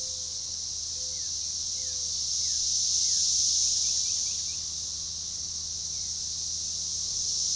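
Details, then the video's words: A synchronizing chorus of periodical cicadas, Magicicada tredecassini, recorded June 7, 2015 near DeValls Bluff, Arkansas, at a forest edge: continuous high shrill droning that swells to a peak mid-clip, with scattered quick falling bird chirps and a low hum. "Magicicada tredecassini organized chorus"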